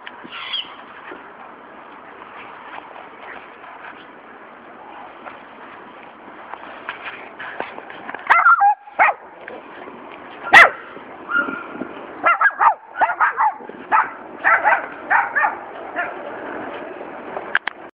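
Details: Schnauzer barking; a quiet stretch gives way after about eight seconds to a run of short, sharp barks and yips, repeated irregularly in quick bursts until the end.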